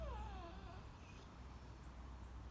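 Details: A bulldog gives a brief, falling whine as it asks for its Kong toy, over a low rumbling background.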